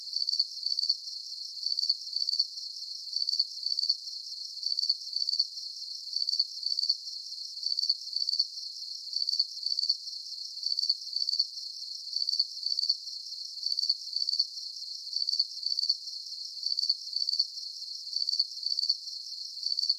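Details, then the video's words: Steady cricket chirping for sleep relaxation: shrill, rapidly pulsed chirps repeat in an even rhythm, close to two per second, with a faint continuous high hiss between them and no other sounds. "Calming Cricket Sounds"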